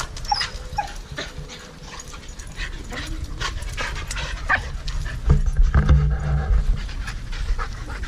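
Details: Dogs at play, panting in breathy irregular bursts mixed with scuffling thumps, a few short higher squeaky notes, and heavier low knocks from movement toward the end.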